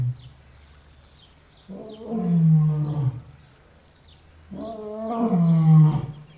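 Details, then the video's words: Loud roaring lion: two deep, drawn-out roars about three seconds apart, each a low rumbling moan with rich harmonics that swells and fades, separated by near silence. "Roaring lion loud"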